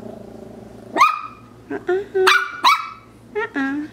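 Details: A Maltese puppy that wants to play, recorded indoors in Illinois on 04-04-14, gives short, high, yappy barks in quick bursts while a person talks nearby.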